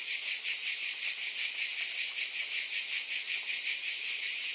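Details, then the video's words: Cicadas buzzing in a dense, unbroken high-pitched chorus with a faint shimmering pulse, about two to three beats a second, steady in loudness throughout; no other sounds stand out. "Scintillating Cicadas"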